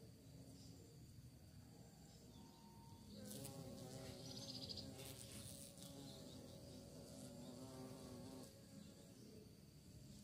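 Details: Bee searching for prey: a low, wavering hum swells from about three seconds and holds for several seconds, its pitch wobbling as the insect moves, then fades back into a soft steady background rumble.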